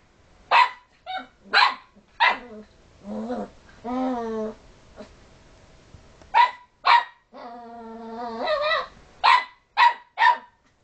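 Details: Playful puppy annoying resting dogs indoors: single sharp barks at intervals, then low rumbling growl-whines and a long steady harmonic moan before another run of crisp, evenly spaced barks.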